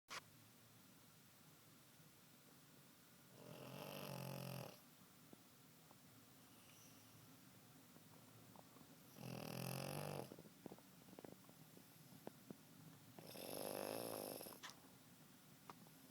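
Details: Pug taking a loud nap indoors, snoring in three broad rasping breaths about five seconds apart, each roughly one to one and a half seconds long, with quiet pauses and faint clicks between them.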